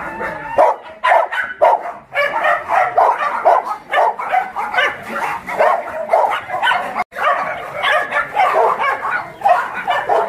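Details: Rescued dogs at the Mindeulle abandoned-dog shelter in Yangsan, South Korea, barking during play: sharp barks and higher yips repeat roughly twice a second in uneven bursts, several overlapping, with one brief break midway.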